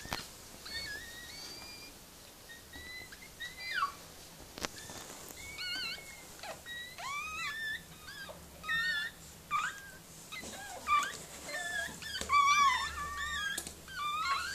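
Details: Whimpering from Mirella, a Miniature Pinscher giving birth to puppies: repeated high, squeaky whines and short yelps, sparse at first, then crowding into a fast, shrill cluster toward the end.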